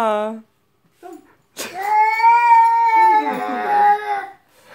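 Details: Tika, a pet cat, indoors in a small room, giving one long drawn-out, human-like meow of nearly three seconds, steady then wavering, after a short clipped sound and brief pause at the start.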